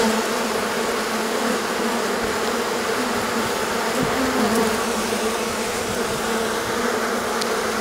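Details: Swarming honey bees leaving their hive on a hot day following prolonged rain and cold; thick, unbroken droning of countless insects, even in loudness, with a few faint clicks.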